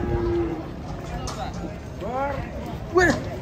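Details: Cattle coming off a truck in an agitated state: short, curving moo-like calls rising and falling, a brief one near the end, mixed with people chatting close by and a flat tone at the start.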